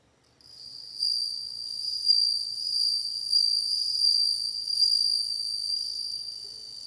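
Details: A bell cricket's continuous ringing song, high and tonal with layered overtones, swelling in slight pulses about once a second after a quiet start, with no other sounds present.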